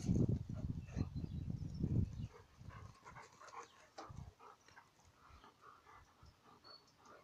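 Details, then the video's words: Dogs wrestling, Indie trying to escape little Alice's grip: heavy low rumbling growls for two seconds, then fading to faint scuffles and breaths. "Fighting dogs - cani che lottano"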